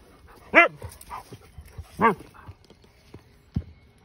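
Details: A Siberian Husky vocalizes at a neighbouring horse: two drawn-out, wavering howl-like yodels with rich harmonics, each under half a second, separated by softer grumbles and a low thump.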